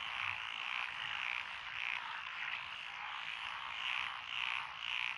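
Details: Frogs calling in lotus rice paddies, Echizen, Fukui, Japan, June 12, 2021, among them Japanese tree frogs and Schlegel's green tree frogs: rhythmic swelling bursts of rattling croaks, about two per second, over a constant chorus.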